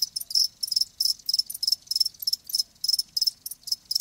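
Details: Live crickets giving high, shrill pulsed chirps in quick bursts about three per second, with uneven spacing and overlapping callers and only a faint low background hum.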